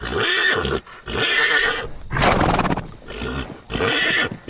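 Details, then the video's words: Horse neighing repeatedly in harsh, tonal calls, with a rougher fluttering burst in the middle, the calls running almost continuously with short breaks. "SOUND OF HORSE NEICHING SOUND OF HORSE SOUND HORSE GALOATING"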